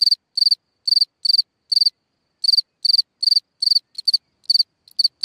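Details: Cricket calling at night from a hole in the ground, sharp high pulsed chirps in uneven runs, one brief pause near two seconds, then chirps resume with a few shorter clipped bursts toward the end.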